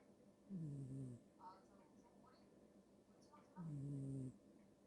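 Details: Cat snoring in its sleep. Two low, raspy, nasal snores are each under a second long and about three seconds apart, with soft breathing between them and an otherwise quiet background.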